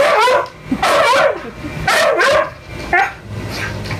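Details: Young male Siberian Husky eager to mate with a female in heat who is saying no; rapid series of strained, wavering whines and yelping yips, four bursts in four seconds, owner speaking faintly.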